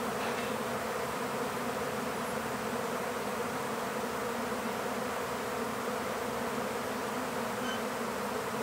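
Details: Honeybee swarm during capture into an empty beehive, giving a thick, unbroken droning buzz, loud and even from start to finish.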